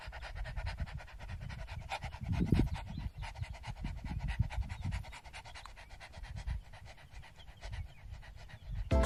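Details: A pet dog at home pants in quick, breathy bursts over soft background music.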